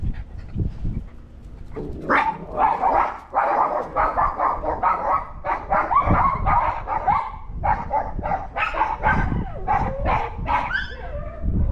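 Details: Recorded August 17, 2022: pet dogs bark at a disliked neighbour's dog that had raided their yard and eaten their food. Almost nonstop layered barking, fast and irregular, with sharper yips toward the end.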